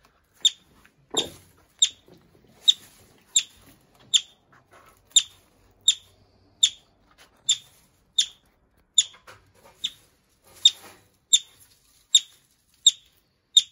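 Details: A yellow-bellied marmot taken in at a wildlife recovery centre gives a long, steady run of about nineteen shrill, clipped chirps, roughly one every 0.7 seconds, with a single dull thump near the start.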